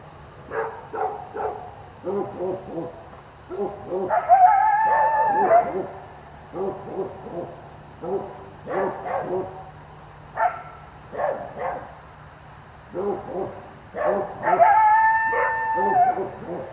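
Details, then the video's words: Coyote group yowling at night near a driveway: repeated clusters of quick, quavering yips, twice rising into a sustained, slightly wavering high howl, with short pauses between the bursts. "What is This Thing Making These Sounds Tonight, Coyote? (Was Near The Driveway)"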